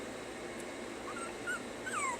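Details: Several short, high whimpers come from puppies during stay training. The whines are sparse and slide downward, growing more frequent toward the end over a steady background hiss. A person repeats "stay".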